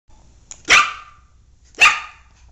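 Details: Black male miniature poodle giving two sharp, high-pitched barks about one second apart, each a short bright burst, over a quiet background with a faint low hum.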